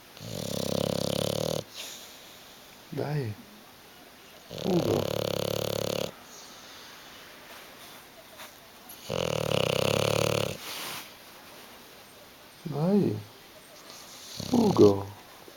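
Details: Snoring from Hugo, a bulldog sleeping on a sofa who won't wake or move. Several rattling, pulsed breaths each last over a second and come at intervals, with short Italian calls of his name between them.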